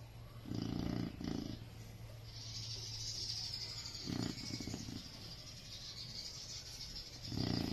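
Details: Chow Chow named Jacko sleeping and snoring: short rasping low snores, two close together at the start, then one at about four seconds and another at the end, with a steady airy hiss between them.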